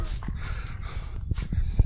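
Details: Miniature schnauzer kept as a pet indoors, objecting while its owner wakes his son: low, rumbling growl-like grumbles with short snorting pulses over about two seconds, the start of a man's voice close by.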